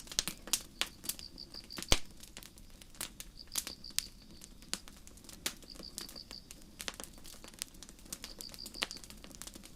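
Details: Crickets chirping on a starry night in a forest beside a campfire: high, pulsed chirps in bursts of about a second, with pauses between, under constant crackles and sharp pops from the burning wood.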